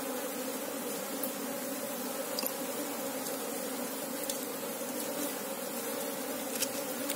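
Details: Asian honey bees (Apis cerana) filling the air with a constant hive drone as their queen is sought: a low steady hum with a strong upper band, level throughout, dotted with occasional light clicks.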